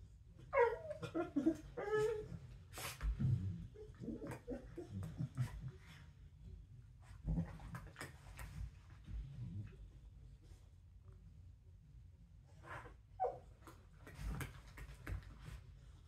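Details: Corgi indoors, playing bitey face, making funny play noises: short squeaky, whiny, grumbling bursts in the first two seconds, then scattered snorts, breathing and clicks, with another brief whine near thirteen seconds in a quiet small room.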